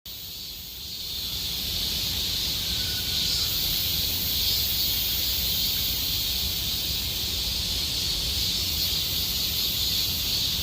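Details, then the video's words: Cicadas singing in Gomsol Nuri Forest, Sihwa district, in deepening summer: a dense, steady, hissing high-pitched drone with pulsing bands, swelling in over the first two seconds and then holding without a break. "곰솔누리숲의 매미소리 Cicada sound of Gomsol Nuri Forest"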